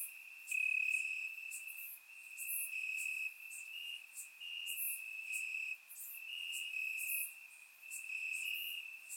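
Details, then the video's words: Warm summer night in Bulgaria with crickets chirping in grass; dense high trilling carries on steadily while louder pulsed chirps come and go every second or so, recorded in surround sound. "Cricket Sounds - Crickets Chirping at Night"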